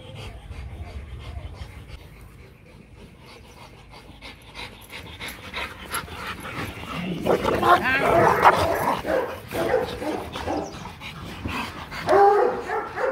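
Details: Rottweilers Marvin Gervi and Kacyno Gervi, a male courting a female during mating in Hanoi, Vietnam; rapid rhythmic panting, then a louder burst of whining, whimpering vocal sounds with people talking nearby.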